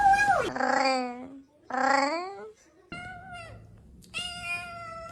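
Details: Cat making a strange noise: a run of loud, drawn-out meows, some dropping in pitch and others held steady and nasal, with short pauses between them.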